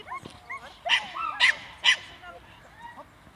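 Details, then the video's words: Staffordshire bull terrier aged seven months during defence training, three hard barks close together, surrounded by a man's talking. "Staffordshire bull terrier Beretta Brenneke 7 months - defence training"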